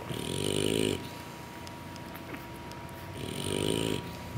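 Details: English Bulldog puppies, passed out asleep after a big meal from their mother, give two broad, rasping snores about three seconds apart, each roughly a second long, with quiet breathing between.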